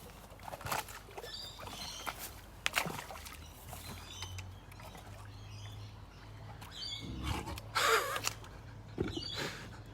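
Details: A saltwater crocodile at a reptile park, being fed a big fish by a keeper, claps its jaws shut in a few sharp, hollow pops over a low outdoor rumble.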